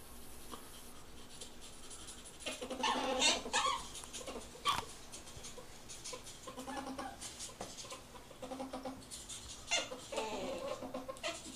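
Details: Ferrets mating indoors, producing repeated bursts of rough, chuckling clucks in irregular clusters across the recording. The loudest flurry comes around three seconds, with quieter scattered clucks afterwards in a small room.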